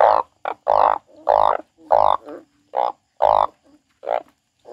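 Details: A crying frog gives loud, coarse croaks in pairs and singles, alternating longer harsh calls with short clipped ones, roughly one each second.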